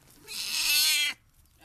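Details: Domestic cat giving birth to her third kitten, indoors: a single drawn-out, steady, nasal meow lasting about a second, then quiet.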